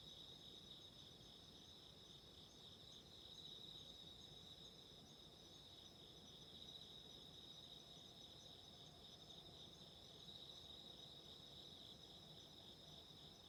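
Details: Autumn insects singing at night by candlelight: faint, steady high-pitched ringing bands over a constant broadband hiss and crackle, the shrill trill holding without pause throughout.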